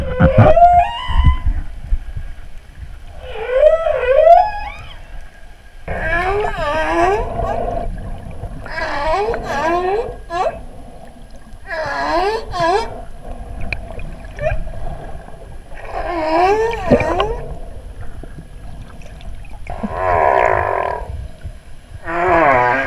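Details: Whale song recorded underwater on 14 August during a dive: wavering, moaning tonal notes that rise and fall in repeated phrases over a low underwater rumble.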